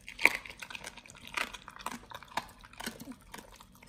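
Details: Pit Bull nomyen eats raw quails indoors: wet, sticky chewing with sharp crunches at intervals and moist smacking between bites in a quiet room.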